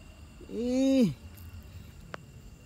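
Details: Kitten stuck in a hole gives a single arched meow, swelling and then dropping at the end, against a quiet outdoor background with a soft tap afterwards.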